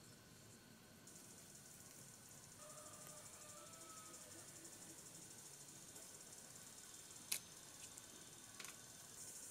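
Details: Cicadas calling in the desert during a long camping stay: a steady, high, hissing buzz sets in after the first second and holds without a break, with a faint whistle midway and a couple of sharp clicks.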